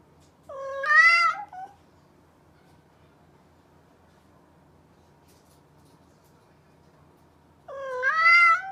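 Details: Domestic cat meowing indoors: two drawn-out harmonic meows, the first near the start lasting about a second with a slight rise then fall, the second at the end after a long quiet gap; faint low hum underneath.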